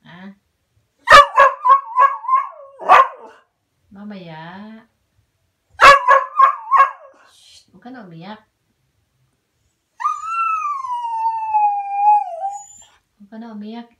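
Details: Cocker Spaniel crying and barking: two rapid bursts of sharp barks, a few seconds apart, followed by a long wavering whining howl that drifts downward; low voices and murmuring sounds occur between the barks.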